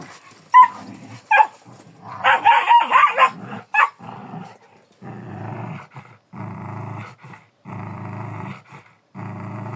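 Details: Kangal dog giving a few short barks, then a longer run of hoarse, rough barking, followed by a steady series of low, throbbing growl-like bursts repeated about once a second.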